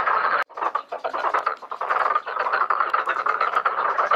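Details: A dense chorus of many black-spotted pond frogs at a pond during mating and egg-laying, a steady mass of rapid, rattling croaks calling for mates.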